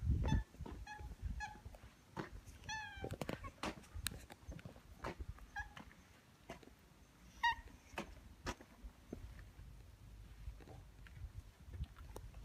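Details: Two stray orange tabby cats in a residential neighbourhood greet a familiar person, welcoming him on their territory and waiting outside his home; a few short, faint meows rise out of steady clicking, tapping and rustling.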